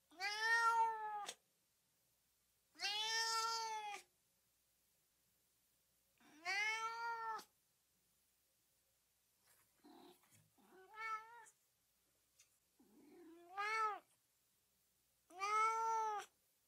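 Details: A cat calls repeatedly, offered as noise to drive dogs wild: loud drawn-out meows every few seconds, a softer stretch of short broken chirps and squeaks midway, then more full meows.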